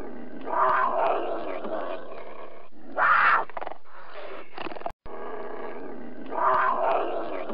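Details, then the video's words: Puma giving harsh, rasping growl-like calls spread across a broad range, with three louder bursts near the start, middle and end, and a brief dropout just before the final section. "Puma Sound"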